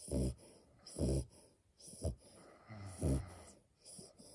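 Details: Female French Bulldog puppy asleep, giving a few deep snoring snorts at irregular gaps, followed by softer breathing.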